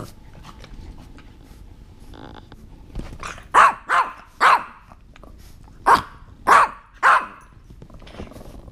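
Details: An English Bulldog playing with a Yorkie gives a series of short, sharp barks in two quick bursts.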